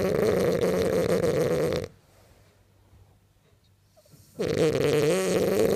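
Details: Sleeping, dreaming French bulldog snores indoors: a loud, harsh, fluttering snore for almost two seconds, a pause of near silence, then another rough, rattling snore starting again.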